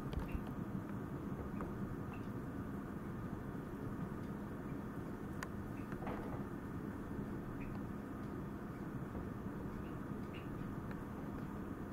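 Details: Steady broadband rumble and hiss, like distant traffic, with a few soft ticks and no animal voice.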